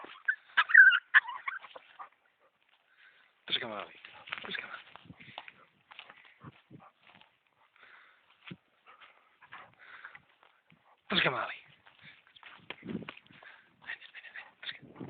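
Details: Tornjak, the Bosnian shepherd dog of Vlašić, letting out whining whimpers and two strong, drawn-out yelping cries a few seconds apart, with human voices talking in between.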